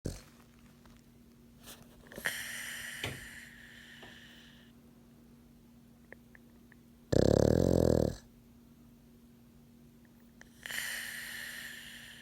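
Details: French bulldog/pug mix snoring while asleep with its eyes open indoors: faint hissy breaths interrupted by one loud, rough, buzzing snore lasting about a second midway, with softer wheezy breaths before and after.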